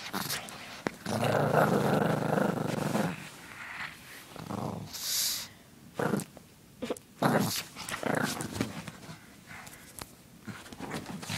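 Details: Female pug puppy growling playfully: a long rough rumbling growl for about two seconds, then a string of short gruff grunts and snorts broken by brief pauses, with snuffling and rustling in between.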